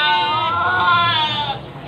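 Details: Goats packed into a full pickup in the parking area of Panggul market, Trenggalek, a load of about 40 Javanese and Etawah goats, mostly females, bound for Trenggalek town. One loud, wavering, nasal bleat lasts about a second and a half, with faint background noise.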